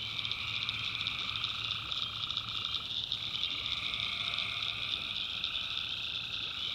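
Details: Night chorus of tree frogs in a North Carolina swamp, continuous shrill trilling in stacked high bands, one band dropping out near the midpoint, with scattered clicks and a low droning hum underneath.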